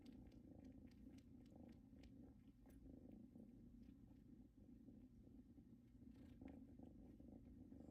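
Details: Kittens Luna and Luxe lying on a blanket brought from their mother's house give a quiet, unbroken low purr, its rumble swelling slightly with each breath, plus light scattered ticks.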